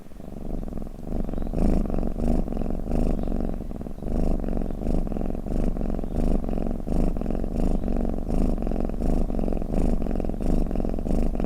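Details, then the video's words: A cat purrs and snores in a calming recording intended to make cats drowsy; a soft start gives way to a strong low vibrating purr, breathing in and out in regular cycles under one second apart. "เสียงแมวกรน เปิดให้แมวฟังเคลิ้มๆไปเลยค่ะ | Snoring Cat"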